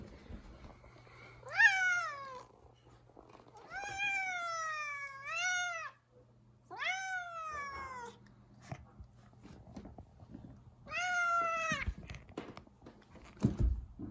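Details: Zefir, an irritated house cat refusing to let anyone pass in the kitchen, utters four long complaining meows, each rising then falling and spaced a few seconds apart, with a steady low hum and a few knocks in the room.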